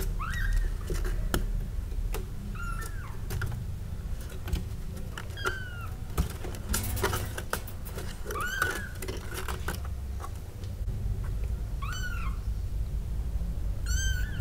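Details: Two newborn kittens growing in a basket give high, thin mews that bend downward, repeated every second or two, some short and clipped, over a steady low rumble and scattered sharp clicks.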